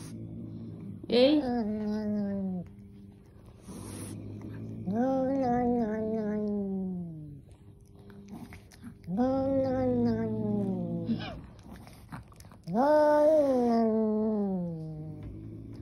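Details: Angry kitten letting out four drawn-out, harmonic yowls roughly every four seconds, each rising quickly then sagging slowly in pitch, with faint rustling between calls.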